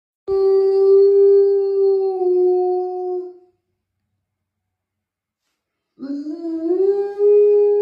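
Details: Cane Corso dog howling like a wolf: a long steady mid-pitched tone held about three seconds, sliding slightly down, then a pause, then a second howl rising from low to the same pitch, clean with no other sounds.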